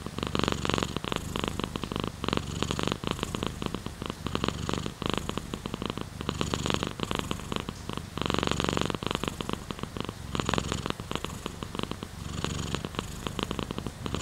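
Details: Domestic cat purring as a relaxation sound layered with rain, a steady low rumble beneath dense, pulsing broadband hiss that swells and fades every couple of seconds.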